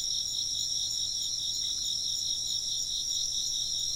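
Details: Chirping insects form a continuous high-pitched trilling wall, several overlapping voices throbbing quickly and evenly throughout, with a soft low background hum.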